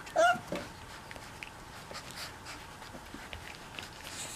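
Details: Mastiff puppies, four weeks old, in one litter: a single brief, high, wavering whine near the start, then quiet indoor shuffling and faint soft clicks.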